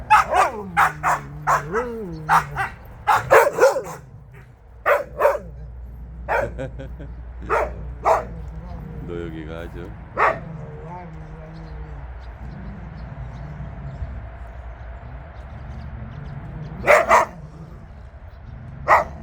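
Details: Jindo dogs on a free walk together: a quick cluster of sharp barks and yips at the start, then scattered single barks with people talking and a whining tone in between.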